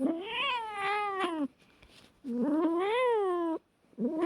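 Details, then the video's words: Cat fight: two long, wavering, moaning yowls, each about one and a half seconds, rising then falling, separated by short quiet pauses. "Hilarious and Funny Fight Sounds of Cats"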